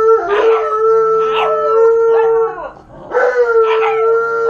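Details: Malamute and husky left home alone for the first time, howling together in long drawn wavering notes that hold steady, then bend and slide, with overlapping voices, a brief dip near the middle, then renewed howls.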